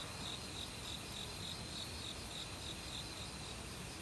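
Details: Cricket in an autumn forest chirping in a regular rhythm, about three to four high short pulses a second, set against a steady hum of other insects and continuous running stream water.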